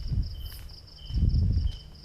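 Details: Crickets giving a night concert on Koh Lipe island, Thailand, heard while walking toward the centre: steady high pulsed chirping trills in bursts, over low rumbling footsteps and handling noise.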